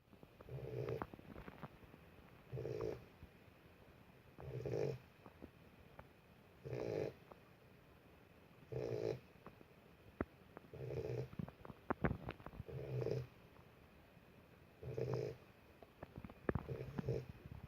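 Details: Boxer puppy asleep, snoring in a steady rhythm: a low rumbling snore roughly every two seconds, nine of them, with quiet pauses between and a few faint clicks.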